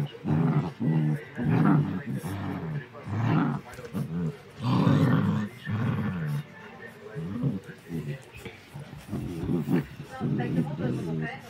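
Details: Three Rottweiler pups aged seven weeks fight playfully over a toy, giving deep, throaty growls in rolling bursts, some louder snarling surges, while people speak in the background.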